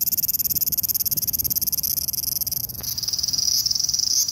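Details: Large brown cicada (Graptopsaltria nigrofuscata) song, recorded August 18, 2020: a continuous, high, sizzling buzz like oil frying in a pan.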